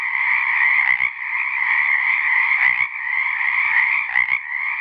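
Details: A single male Pacific treefrog calls in a steady, dense run of mid-pitched croaks to attract females to his small area of an ephemeral pond at South Beach State Park, Oregon, on January 13, 2018.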